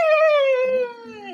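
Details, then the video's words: Nine-month-old pet puppy named Chikku, born August 15, in India, crying because his father left without him; one long tonal howl that slides slowly downward, rich in harmonics, fading slightly at the end. "അച്ഛൻ എന്നെ കൂട്ടാതെ പോയീ ..Crying in different ways"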